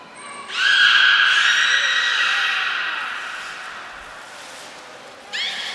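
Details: During training at the Port of Nagoya Public Aquarium on 25 February 2024, the beluga Niko utters a long, rich harmonic squeal that slowly fades over several seconds, then a short rising chirp at the end.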